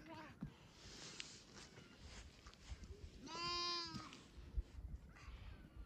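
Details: Baby goats (kids) fighting over a feeder bottle; one loud, wavering, harmonic-rich bleat of just under a second mid-clip, with handling noise and a person's voice around it.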